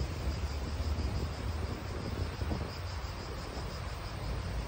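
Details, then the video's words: Steady, shimmering high buzz of cicadas in a park in Italy, faintly pulsed and unbroken, over a constant low roar of wind and distant traffic. "Cicadas wind real atmosphere in an Italian park"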